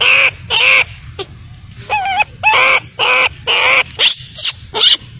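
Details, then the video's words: An abandoned baby macaque cries for its mother. About eight loud, strained wails in five seconds, each harsh and harmonic-rich, with one thin quavering note among them. Low background hum. "Poor baby monkey was abandoned by mother monkey, crying heartbreakingly"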